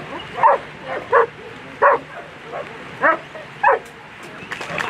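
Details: German Shepherd Elyssee v alten Gatter at a World Championship agility event, handled by Mario Weidner and placing 7th in the final; five sharp barks roughly every half to one second, with a faint crowd murmur behind.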